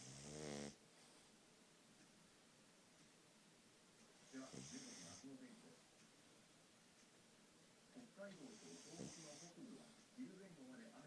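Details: Sleeping pug with a flat, noseless face snoring heavily: rough, rasping snorts about every four seconds, three breaths in all, with soft breathing between them.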